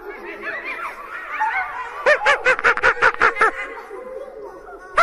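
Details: Monkey in a forest: soft, wavering chatter rising and falling through the first two seconds, then a quick run of about eight loud, clipped, barking pulses before a final sharp note.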